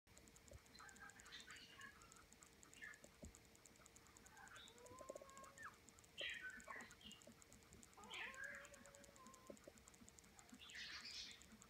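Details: A litter of English Springer Spaniel puppies only hours old, born June 10, 2016, give thin, high squeaks and whimpers, short and scattered, over a low steady hum.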